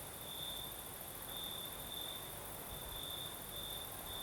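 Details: Crimean crickets sing on a southern night while a breeze stirs: a constant shrill tone swells into brighter pulses at uneven intervals, backed by steady soft rushing wind.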